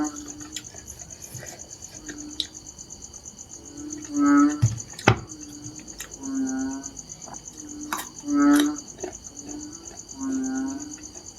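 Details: Narrow-mouthed frog calls: low, nasal, buzzy groans, some swelling louder, coming at irregular intervals of about two seconds, over a continuous shrill insect chirring and a few sharp taps.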